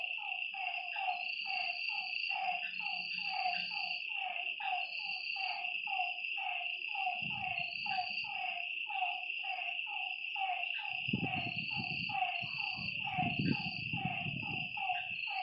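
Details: Frogs calling at night beside a lake: a dense chorus of short, repeated mid-pitched notes with bright overtones, backed by a steady high insect drone and a higher pulsing trill; soft low rumbles near the end.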